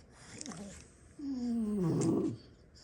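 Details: Snoring French Bulldog, one of six siblings asleep after play: a loud, drawn-out whistling breath gliding steadily downward and ending in a rough rattle, preceded by a short fainter snort.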